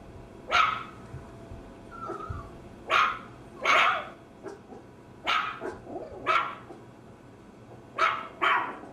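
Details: Maltese terrier barking: sharp, bright barks in uneven bursts, some doubled, with a brief whining note near the two-second mark and quiet gaps between.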